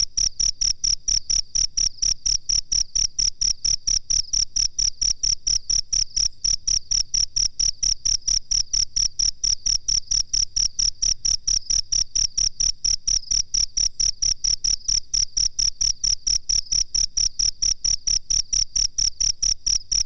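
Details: Cricket calling for a songbird training master track, a fast, dense train of sharp high chirps, close to seven each second, unbroken across the whole stretch, with a faint low hum beneath.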